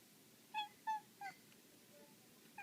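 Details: An indoor black female cat, excited while chasing a laser dot, utters three quick high chirps in a row, then a fainter squeak and a final short note.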